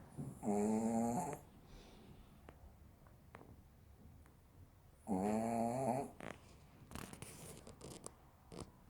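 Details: Sleeping Maltese named Tteunteuni snoring indoors: two drawn-out, throaty, nasal snores, each lasting about a second and spaced roughly four seconds apart, with quiet breathing and faint clicks between them.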